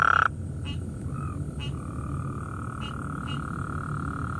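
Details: At night, one of several Gulf Coast toads calling gives a brief, loud, rapid trill, then a steady droning trill continues behind, with a tree frog nearby.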